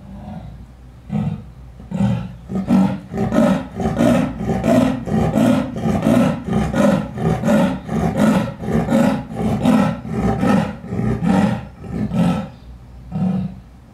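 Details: Amur leopard at Asa Zoological Park in Hiroshima, Japan, filmed February 2020, giving a light roar: a series of about fifteen low, rasping sawing pulses, roughly one every 0.7 seconds, building steadily then fading away, with no other clear sounds.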